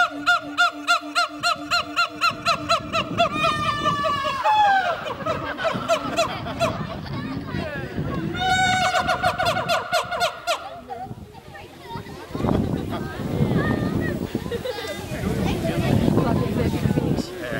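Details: Siamang gibbons going wild at Western Plains Zoo, Dubbo, Australia, call with loud, rhythmic hoots rising into rapid, climbing whoops, with people talking and laughing.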